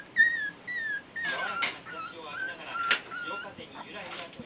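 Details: Border Collie puppies 22 days old, born 23 November 2012, a litter named Ren, Ten, Jasmine and Swan, giving high thin whines and squeaks that slide downward in short repeated bursts, with some human voices underneath.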